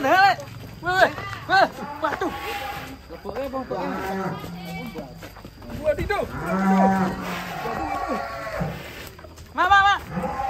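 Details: Giant, fat cattle, described as long as a train and tall as a plane, give a low, drawn-out moo lasting about a second and a half midway through, amid frequent men's voices chattering nearby.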